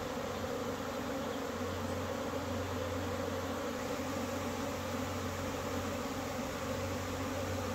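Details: Many honey bees fly in April after a cold spell, filling the air with a dense, continuous low drone of even pitch and loudness, a thick hum of countless wingbeats with no breaks.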